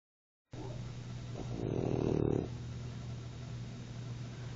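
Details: Sleeping French Bulldog snoring at naptime: a low, rumbling breath sound with a steady low hum underneath, swelling into a louder, rougher snore in the middle before settling back to quieter breathing.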